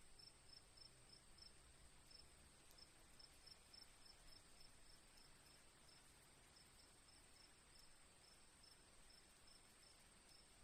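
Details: Crickets chirp steadily in a quiet nature scene with gently dripping rain water: evenly spaced high pulses ride on a constant piercing trill, with faint clicks and a soft low murmur beneath.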